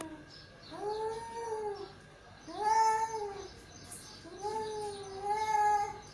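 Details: Two male cats calling to each other: drawn-out, wavering moaning yowls rising and falling, three long calls with short pauses between.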